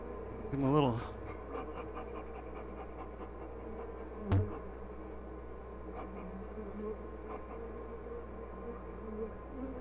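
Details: Honey bees in a hive at "The Mountain", dated 22/6/29, inspected during a dry spell, the colony busting with honey, queen present with brood of all stages. A steady low droning hum persists throughout, with a brief human voice near the start and one sharp click.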